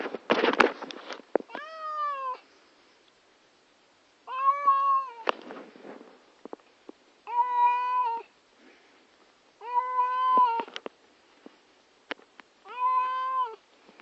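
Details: Domestic cat, a female, upset just before a trip to the vet: five long harmonic meows, each about a second, spaced roughly every three seconds, with a rattling noise at the start.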